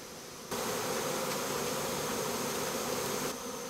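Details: Honey bee swarm that has moved into a house, giving a dense, steady droning hum that starts abruptly after half a second and holds evenly before easing slightly near the end.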